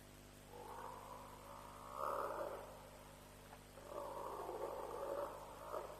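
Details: African buffalo give long, hoarse, moaning bawls in two drawn-out bouts at around 3:00 am at Djuma on 7 March 2007, during a lion kill.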